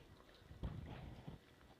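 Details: A French Bulldog sitting at the dinner table gives a burst of low, pig-like snorts and grunts while sniffing and begging for chicken.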